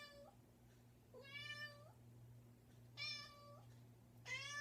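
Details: Insistent house cat at a bedroom door giving four drawn-out meows, each holding a steady pitch before a slight rise at the end, separated by pauses, with a low electrical hum in the room.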